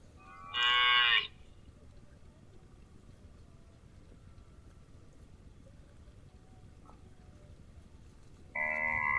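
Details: Grazing cow calling twice, a short strained moo with rich, bright harmonics near the start and another beginning right at the end, separated by about seven seconds of quiet background hiss.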